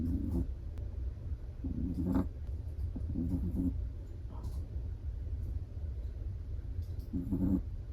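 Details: Sleeping Chihuahua snoring softly, with short nasal rasping breaths at uneven intervals of about one to four seconds over a steady low room hum.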